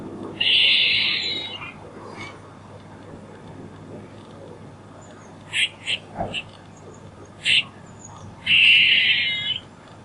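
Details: A squirrel gives a rasping, buzzy call about a second long. A run of brief high chips follows, then a second long rasp near the end. Low steady background hiss.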